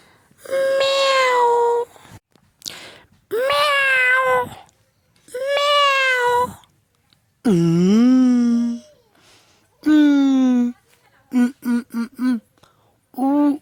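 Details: Cat meows in a quick series: three long level meows, then a deeper wavering yowl and a falling cry, ending with several short clipped chirp-like mews in rapid succession, sounds separated by brief silences.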